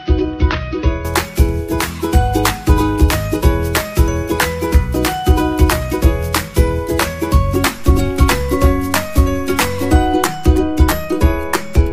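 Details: Bright, cheerful music with plucked ukulele-like strings and steady rhythmic beats plays throughout, with no animal sounds.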